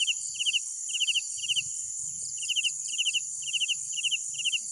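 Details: Night crickets chirp in quick bursts of three or four pulses over a steady high insect hiss.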